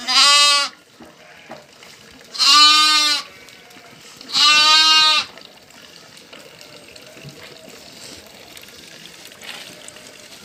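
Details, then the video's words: Lambs drinking water at feeding time in a Turkish barn: three loud, harmonic, quavering bleats about two seconds apart, followed by quieter background rustling and faint distant calls. "KUZULARA NE VERİYORUZ? KUZU BAKIMI NASIL OLMALI UYGULAMALI"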